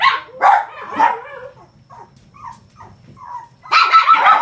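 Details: Male Shih Tzu puppy, white and gold, 43 days old, at a breeder in Osaka, Japan; three bright yapping barks in the first second, soft whimpers and whines in the middle, then a burst of high barking at the end.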